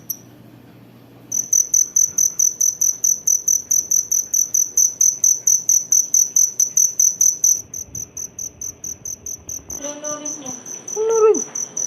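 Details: Cricket, known locally as kuliglig, starts after a silent second and chirps in quick regular high pulses, fading slightly, while a voice and other sounds enter near the end.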